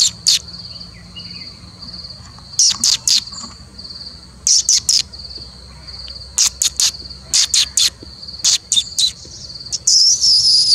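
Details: Indian palm squirrel, also called three-striped palm squirrel: sharp, bright chirps in short bursts of two to four, repeated every second or two over a steady high insect-like buzz, ending in a longer harsh trill.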